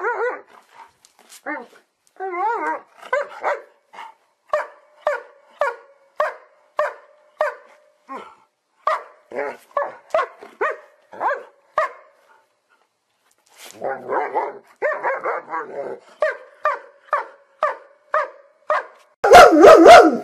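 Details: Pet dog yipping in a long fast series of short high barks, some with wavering pitch, a brief silent gap midway, and a loud burst of noise at the very end.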